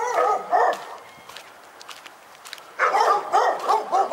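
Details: A dog in Pyrga barks in quick bursts of two or three, pauses for about two seconds amid faint rustling and footsteps, then resumes with a rapid run of barks.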